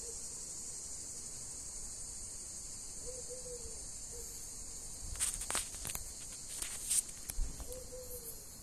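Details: Cicada in Greece, described as crippled and injured with one leg bent. A steady, high, unbroken buzzing drone fills the clip, with faint short whistled bird notes and a few rustles and taps near the end.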